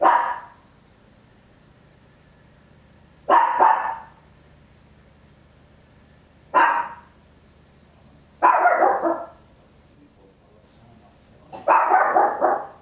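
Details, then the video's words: Papillon, a tiny dog, barks very loudly indoors, recorded at home in stereo with an Olympus LS-11; five sharp barks spaced a few seconds apart, some doubled, with near silence between. "Tiny Dog Barking Very Loud, Papillon"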